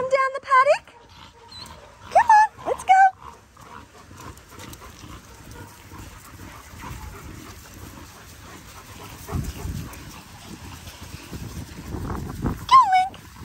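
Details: Linc, a baby Australian cattle dog, playing with bigger puppies in a dog paddock; a few high, sharp, falling yelps in a burst at the start and one more at the end, with a quiet stretch of footsteps and rustling between.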